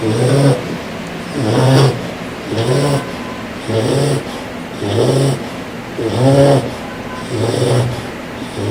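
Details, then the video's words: Loud snoring from a bulldog: deep rasping snores with low buzzy bands, one breath cycle roughly every 1.2 seconds, steady and rhythmic throughout. "Loud Snoring Bulldog"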